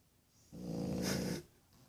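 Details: Snoring from a one-year-old French Bulldog puppy asleep after a hard day of playing: a single rough, rumbling snore of under a second, with a buzzy low drone and a hissy breathy edge.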